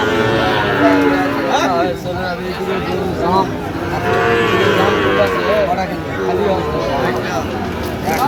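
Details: Sahiwal cattle, bull calves of about eight to nine months, at a cattle market on 3 October 2025, with a farmer from Dhaka buying: a steady, low, drawn-out moo near the start, then overlapping chatter and bargaining voices of a busy crowd.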